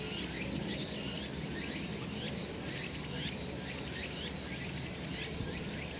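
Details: Cicadas on a summer mountain in a sunny spot: a dense, shrill buzzing chorus that swells in bright pulses roughly every second, with repeated short chirping phrases layered in the middle register over a steady low rural background hum.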